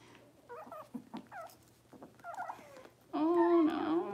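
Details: Six-week-old Cavalier King Charles Spaniel puppies in an indoor puppy pen during deworming and toenail trimming; several brief squeaky whimpers with wavering pitch, ending in a loud, sustained, quavering cry lasting about a second.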